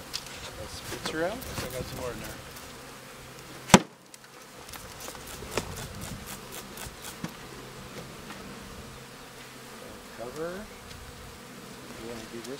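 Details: In a Cascade Mountains apiary, a newly installed honey bee colony, upset and panicked after being moved, hums in a loud, agitated drone, with bees whining past; a sharp knock and brief voices are also heard; Western honey bee.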